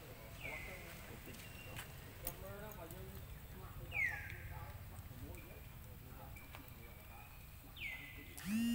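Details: Hungry baby monkey Lucie cries loudly at a mother who rejected her milk: three sharp descending whistled wails a few seconds apart, a final rising squeal at the end, over low rumbling and faint voices.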